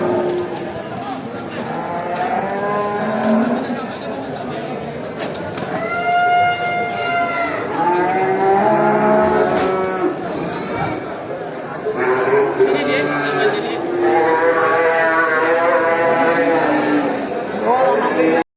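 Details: Several cows moo back and forth in long, drawn-out, wavering calls, calling each other as a large herd is driven back to the barn after grazing in a rural village.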